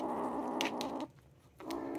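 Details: A young foster Ragdoll cat in a home near Vancouver, Canada, growls in a low, rough, continuous rumble while guarding a jerky treat it refuses to share.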